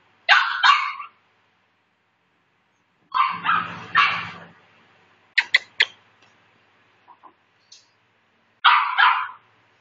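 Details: A Maltese puppy yapping in short high bursts, single and doubled barks separated by pauses of one to three seconds, with a few sharp clipped yips and faint small squeaks between them in a quiet room.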